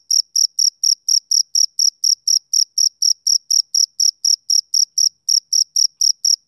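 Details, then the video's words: A male cricket chirps through a summer evening with bright, high-pitched pulses about four per second, regular and crisp against total quiet. One brief gap appears near the end before the rhythm resumes. "Cricket Chirping Sound Effect"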